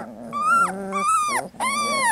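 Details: Young Labrador Retriever puppies, three weeks old, whine in three rising-then-falling high cries, each ending in a sharp downward drop, with a low human voice faintly underneath.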